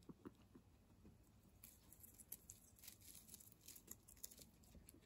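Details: Guinea pigs munching fresh herbs indoors: quick, crisp crunching clicks and soft tearing in irregular bursts, denser toward the second half, with a faint steady high hiss underneath.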